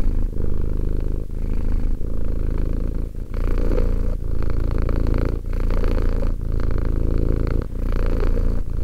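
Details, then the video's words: Steady rumbling purr of Romek, a two-year-old cat, close and loud; a thick low hum swelling and easing with each breath, short gaps recurring roughly once a second. "One hour of quality cat purring."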